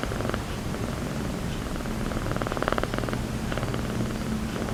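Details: A sleeping calico village cat, deep in sleep on a motorbike seat, snoring and drooling. Its breathing gives soft, rough pulsed rumbles in repeated bursts, each lasting about half a second to a second, over a steady low background.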